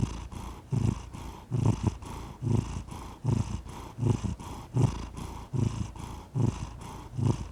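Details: Close, low purring from a cat, rumbling bursts rising and falling with each inhale and exhale at an even pace, nothing else audible.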